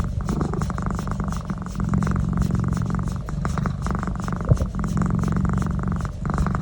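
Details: A cat being massaged on the neck purrs in a low, buzzing rumble, with brief dips in loudness and a faint click midway.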